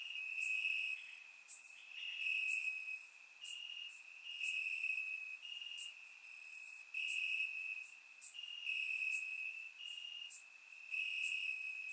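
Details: Grass crickets on a warm summer night in Bulgaria, surround-miked: a shrill unbroken trill rises and falls in loudness every second or so, layered with fainter high insect ticks.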